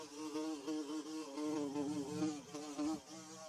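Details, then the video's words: Bee buzzing while building its nest, filmed on DSLR and phone; a steady droning hum with a low fundamental and stacked overtones, pitch wavering up and down as the insect moves, loudness swelling and dipping. "Bee Buzzing"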